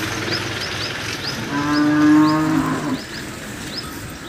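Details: Banni buffalo in Gujarat, India, giving one long, steady, mid-pitched moo of about a second and a half with rich harmonics, ending abruptly, while small birds chirp repeatedly with quick downslurred notes in the background.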